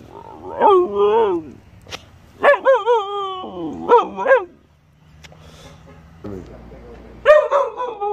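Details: Domestic dog vocalising in chatty, modulated howls, repeated wavering notes dipping and rising in pitch in several groups with brief pauses, then one more yowl at the end; the room is otherwise quiet.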